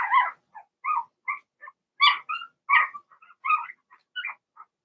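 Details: Six Blenheim Cavalier King Charles Spaniel puppies in an indoor pen: loud, squeaky yelps and whimpers tumble out in quick bursts, bright and harmonic, about one or two per second.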